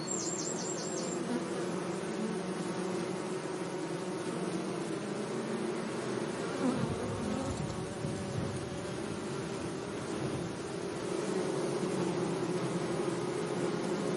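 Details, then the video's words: Low, continuous buzzing of bees among flowers in a sunny meadow; a quick run of five high chirps opens the recording, and the hum swells briefly around the middle. "Relaxing Bee Sounds"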